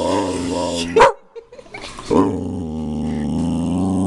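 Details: A drawn-out low growl from Lily, the family dog, is interrupted by a single sharp bark, then a brief pause and another yap before the rumbling growl continues steadily.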